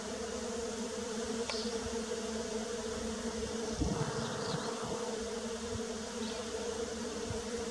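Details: Early-spring bee buzzing, a continuous even drone that holds its pitch throughout. A few brief high chirps and some soft low thumps around the middle break the hum.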